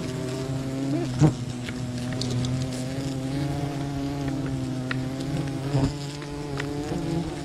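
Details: Wild bee colony disturbed during honey hunting, a steady low droning buzz with layered harmonic tones holding throughout, broken by two sharp knocks near the middle and end.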